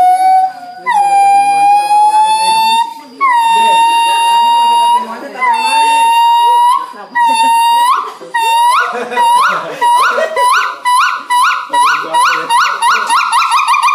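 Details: Noisy monkey at Ragunan Zoo, Jakarta, giving loud, pure whooping calls: long held notes at first, then shorter rising hoots that quicken into a rapid, accelerating series near the end.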